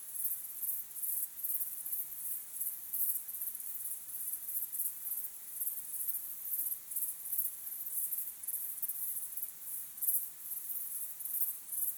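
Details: Crickets calling as the sun sets, natural sound: steady, high, rapidly pulsed chirping from many insects, swelling and fading in regular beats throughout, nothing else clearly heard.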